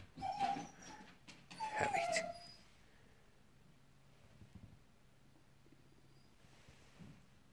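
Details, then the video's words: Dogs whining while they are after a squirrel in the morning heat; two drawn-out, falling, tonal whimpers in the first two seconds, then near quiet with faint rustling. "Dogs after squirrel"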